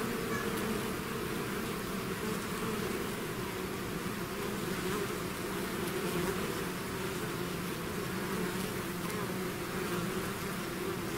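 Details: Continuous buzzing of a bee swarm leaving its hive, a broad, even hum of many insects with a soft hiss above it, constant in loudness from start to finish.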